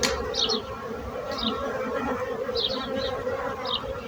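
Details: Continuous bee buzzing forms a thick, droning hum with layered overtones. Quick high chirping bird notes break in about once a second over the drone.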